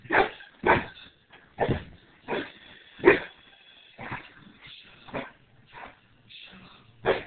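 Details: Pit bull in a fight with its owner, barking in loud, harsh bursts, about ten over seven seconds at an uneven pace, with brief quiet gaps between them.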